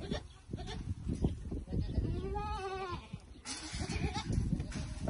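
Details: Bishi goats from a herd of 96 with 30 kids, near Al-Muzaylif north of Al-Qunfudhah, Saudi Arabia; one drawn-out wavering bleat lasting about a second over heavy rumbling background noise.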